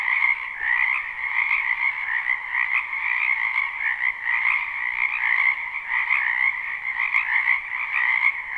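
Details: Springtime wetland frogs croaking together, captured live behind a house: a dense, even wall of pulsed trilling calls in two pitch bands, gently surging, with a brief tick near seven seconds.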